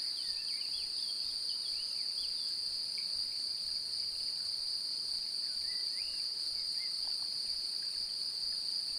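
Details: A male cricket sings a steady, high, unbroken trill by rubbing his elytra together, seeking to mate. A female seems interested.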